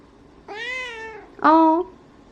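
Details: Pet Ragdoll cat indoors, greeting its owner after she comes home and acting affectionate; two clear meows, first a long, drawn-out, slightly falling tone, then a shorter, louder, sharper one, in a quiet small room.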